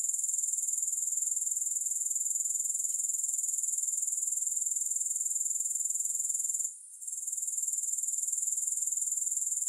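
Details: Shrill, continuous grasshopper chorus with no music, a thin high hiss ticking about four times per second, with one short dip near seven seconds before the sound returns.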